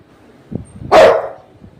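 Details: A Rottweiler, more mischievous than usual and refusing to settle to sleep, gives a single loud, deep bark, sharp at the start and fading quickly.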